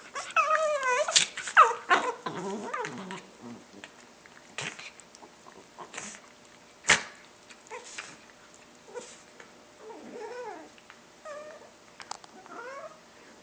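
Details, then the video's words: Dog making weird noises: wavering, warbling whines and yodel-like moans that rise and fall, loudest in the first few seconds, then softer broken whimpers with occasional clicks. "the dog making wierd noises"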